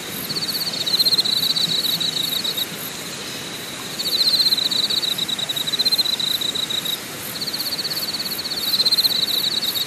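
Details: At night-time? no: A chorus of insects at Deokyudae Camping Site, Deogyusan National Park, South Korea, gives high pulsing trills; one strong buzzy trill swells and fades in roughly two-second bursts above a fainter, steady rapid ticking.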